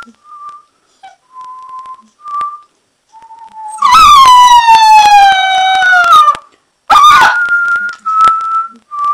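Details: Alaskan Malamute howling in reply to a person's steady whistled notes: a loud, drawn-out howl of more than two seconds sliding gradually downward, then a shorter rising howl that blends back into the whistling.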